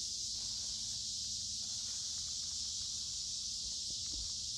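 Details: Noisy cicadas fill a creekside wood on a humid midsummer day. Their high, continuous buzzing drone holds even and loud, with faint soft thuds of walking beneath it.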